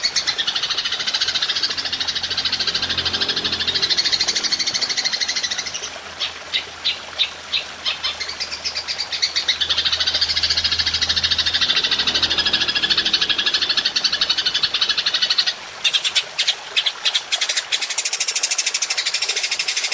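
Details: Golden grasshopper (belalang emas) in a long-shot ('nembak panjang') recording used to train songbirds: dense, high buzzing trill that sags and swells, breaking midway and near the end into rapid separate ticking pulses, with a faint low hum beneath.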